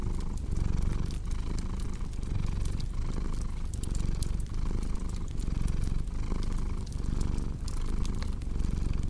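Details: Rhythmic low purring from a domestic cat, each inhale and exhale marked by a gentle swell, accompanied by steady crackling and popping of a wood fire.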